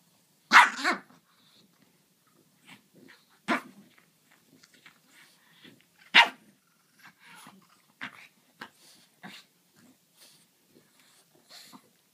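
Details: Play between a French bulldog and a griffon; a few sharp loud barks spaced several seconds apart, separated by quieter yips, snuffles and scuffling.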